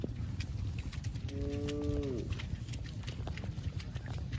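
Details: Cow running back to the barn gives a single moo lasting about a second, a steady harmonic tone that drops away at the end, over a constant low rumble and the clatter of hooves.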